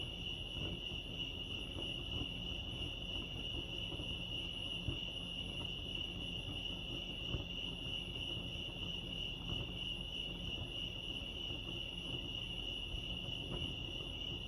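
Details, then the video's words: Steady cricket chorus by Lake Arrowhead, California: a bright, unchanging high trill runs throughout, accompanied by a low constant hum and sparse soft clicks. "Serenity sounds crickets chirping lake arrowhead"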